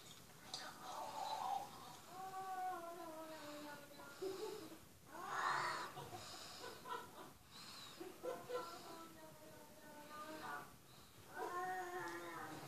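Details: Cat meows played on a television for a listening dog: a run of drawn-out, tonal calls that slide downward, several in a row with short gaps, in a small indoor room, with Portuguese speech nearby.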